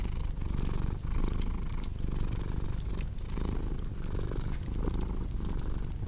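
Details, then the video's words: Cat purring in a deep throbbing rumble, each inhale and exhale marking a pulse under a steady bed of fireplace crackles. "Purring Cat with Cozy Crackling Fireplace Sound"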